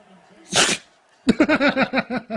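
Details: A dog's single forceful sneeze, a short burst of noise, is followed after a pause by a quick run of about eight pulsed, voiced sounds.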